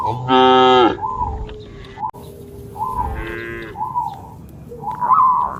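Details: Cattle from a herd of dozens, jumping over a path border among green rice fields. A loud, rich, drawn-out moo opens, and a second, softer moo follows near three seconds. Short whistled tones repeat between them.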